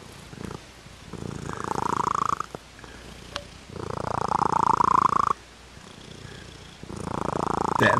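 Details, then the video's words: Pet cat purring, possibly mixed with snoring: a rough, pulsing rumble in bursts of one to two seconds, each followed by a quieter pause, with a faint rising whine near the end of some bursts. "Dat Purr Tho!!"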